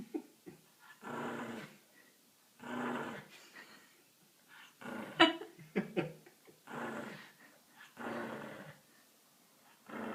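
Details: Dog making a motorcycle sound: throaty, groaning rumbles with breathy edges, repeated about every one to two seconds, with a sharp click-like noise partway through.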